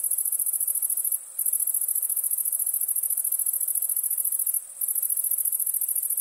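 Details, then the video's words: Night-time crickets give an unbroken high, thin ringing trill, a fine rapid pulsing throughout, interrupted by two short gaps about three and a half seconds apart. "Relaxing Chirping Crickets"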